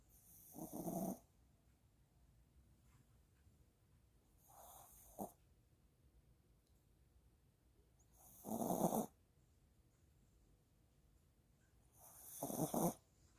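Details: Yulmu, a Maltipoo dog, snores while asleep after a walk: four breathy, broadband snores, each about half a second long, come roughly every four seconds with quiet breathing between them.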